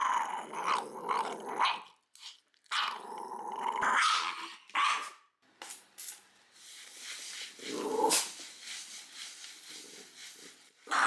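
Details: Small three-year-old female Shiba Inu in Fukuoka, Japan, protesting while having her nails trimmed. Harsh snarling growls come in uneven bursts, rising to sharper bark-like outbursts and fading into quieter rumbles toward the end.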